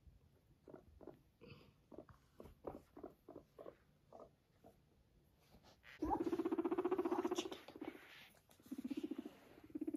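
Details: A guinea pig walking beside its owner gives soft short chuts, then a loud, low, buzzing purr that throbs rapidly.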